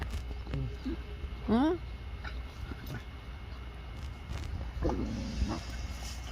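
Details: Jindo dogs Miso and Jangbi at a glove factory, after a dog fight, Miso trying to make up with Jangbi; a rising, harmonic whine, then a second wavering whine a few seconds later, over a woman's voice and outdoor hum.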